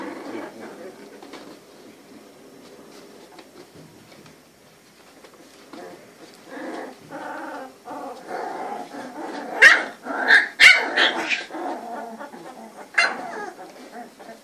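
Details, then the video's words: Litter of three-week-old Cane Corso puppies, sired by Faust Di Casa Pretorian out of Geisha De Nobil Rose: soft, low background murmuring, then overlapping squeaky whines and short yelps rising to a cluster of sharp peaks, with brief voices in the background. "A Litter Cane Corso puppies - 3 weeks old"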